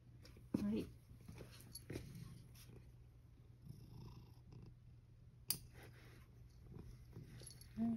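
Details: Male rescue cat Sacchan, indoors with the elderly woman he lives with, standing on a step stool to have his collar put on before a walk after hesitating whether to go; short voiced calls near the start and end, with a woman's speech and handling noises over a low hum.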